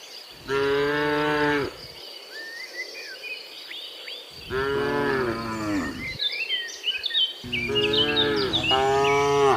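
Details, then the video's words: Tame cattle heading to their pen as a herd, three long lowing moos roughly every three seconds, the last two running together, while birds chirp and whistle throughout. "suara sapi moo"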